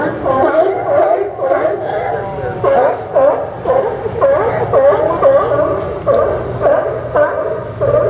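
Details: Sea lions barking at the Newport Sea Lion Docks, Port of Newport Town Dock, Yaquina Bay, Oregon, on September 20, 2015; a dense chorus of harsh, honking barks overlaps continuously, roughly two per second, with no quiet gaps.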